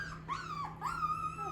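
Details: A 17-day-old Shepsky puppy, still nursing and just starting to hear itself, gives thin, high whines that rise, dip, and then hold steady.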